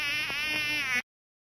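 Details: Mosquito in flight: a steady, thin, whining buzz lasting about a second, holding a nearly constant pitch, then cutting off abruptly.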